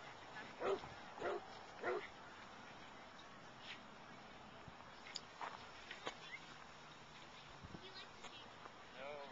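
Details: Wonka, a Boston Terrier/Pug mix, playing at a dog park: three sharp barks about half a second apart open the recording, followed by quieter scattered yips and clicks against outdoor background noise with voices.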